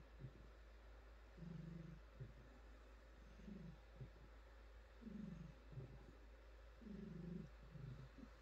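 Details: Female domestic cat purring while pampered and stroked, deep rhythmic rumble in swelling phrases about every one and a half seconds with short pauses, low and even over a quiet hissy background.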